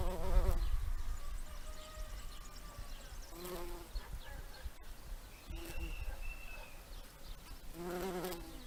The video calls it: Bumblebee collecting pollen, with some faint birds in background